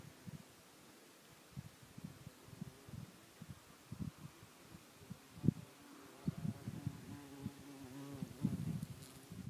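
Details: A bumblebee visiting a flower hums low and deep, first in brief on-and-off bursts as it moves about. Toward the end the buzz grows longer and steadier, with a rich, slightly rising drone.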